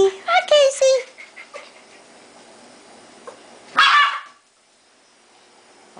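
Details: Dogs in a chaotic household indoors; quick high yipping barks in the first second, a louder bark burst near four seconds, then quiet room.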